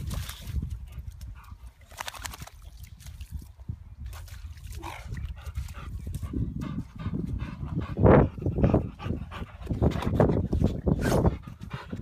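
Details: Boxer dog named Frank running around outdoors, giving a few short, low, gruff barks in the second half amid rustling, footsteps and handling noise, with a person calling him and praising him as a good boy.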